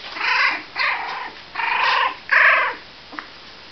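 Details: Young Cavalier King Charles Spaniel puppies at 26 days of age give four loud, whiny, nasal yelps in quick succession, each about half a second long, followed by a faint tap.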